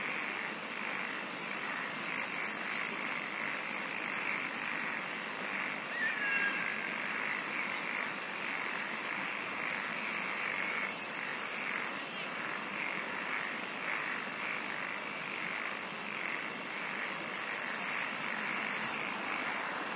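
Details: Singing insects: very high, finely pulsed buzzing trills come in bursts of about two seconds, three times over twenty seconds. Beneath them runs a steady, dense chorus of lower rasping pulses and a constant broad hiss.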